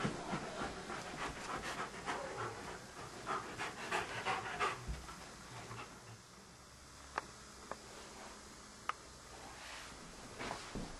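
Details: Sidney, a Standard Poodle reluctant to enter the bedroom for his beloved ball, pants in steady breathy bursts, about three per second, for the first five seconds. The panting then fades into quieter room sound broken by a few sharp clicks.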